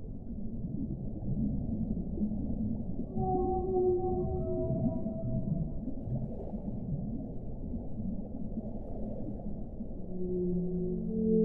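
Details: Whale song: a mid-section of gliding moans with layered overtones, then quieter rumbling, and a second pair of low tonal moans rising toward the close.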